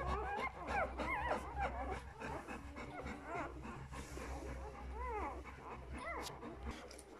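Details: Puppies of Folie and Mayley at two days old cry out in quick arched squeals, several callers overlapping, loud at first, thinning out, then returning in a cluster of bent, high whines.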